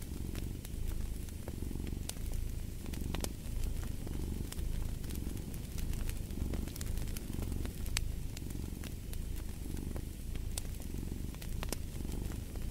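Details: Steady, deep purring of a cat rising and falling in regular breath-like swells, with a fireplace crackling and popping in the background.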